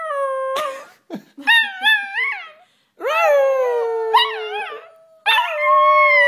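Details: Puppy learning to howl: wavering, rising howls with clear harmonics, a short yelp, then longer sustained howls separated by brief silent gaps.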